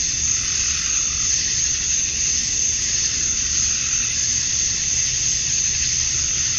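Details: Summer dusk in Georgia, USA, where male cicadas call to draw females: a continuous high, sizzling drone with gentle, irregular swells in loudness and a soft low background hum.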